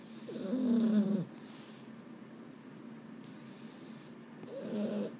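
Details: Sleepless Boston Terrier at bedtime, one of the male pair Mambo and Cub. A wavering nasal whine-groan near the start is answered by a second shorter moan about four seconds later, in a quiet room.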